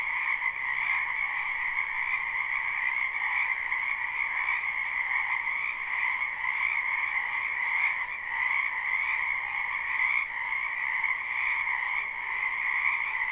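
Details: Many frogs croaking in a spring wetland behind a house, a live unlooped recording: a dense, unbroken chorus with two steady bands of trilling, one mid-pitched and one higher and brighter, holding at an even level without pauses.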